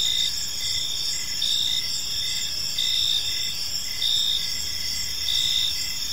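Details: Several crickets sing through an evening in a peaceful park, high thin trills layered together, louder pulses swelling about every second, gentle low ambient noise underneath.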